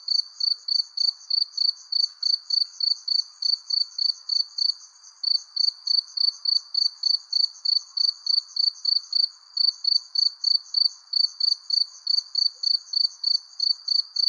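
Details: Crickets under a persimmon tree as the sun sets: high, pure chirps pulsing steadily about three to four times a second with brief gaps, over a faint, soft lower hiss and no other clear sounds.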